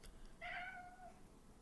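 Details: Male pet cat indoors, meowing at birds in the background: one clear tonal meow lasting about seven tenths of a second, steady then gently falling, in a quiet room.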